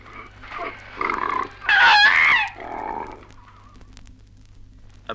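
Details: Koalas fighting in Australia: bursts of harsh, rasping grunts that build into a shrill, wavering scream, then fade to rough mutters over a faint background hiss.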